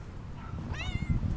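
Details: Stray tortoiseshell cat calling at a person: a short meow that rises quickly and then slides gently downward, heard over a low background rumble.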